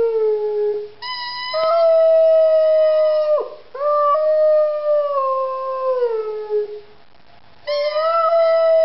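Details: Three-year-old Rhodesian Ridgeback bitch howling in long, sustained, clear tones: a short low note, then a high drawn-out wail that dips and sweeps upward, continues gently falling, pauses, and rises again at the end.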